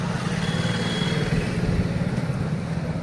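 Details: Idling engine and vehicle rumble dominate at an outdoor gathering, with no animal sound heard.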